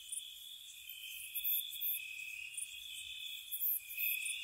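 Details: Crickets at night in spring around a cottage: steady high trilling bands with bright, brief chirp bursts recurring every second or so over a continuous insect chorus.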